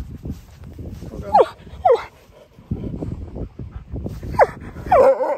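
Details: Siberian Husky named Key arguing over food with a person, giving short sharp falling whines and yelps in a quick series, with human speech murmuring between them.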